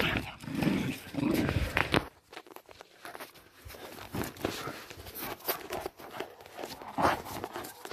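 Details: A 10.5-month-old Fell Patterdale terrier pup, Spikey, tugs hard on old jeans. A low rumbling growl runs through the first two seconds, followed by scuffling, panting and handling noise.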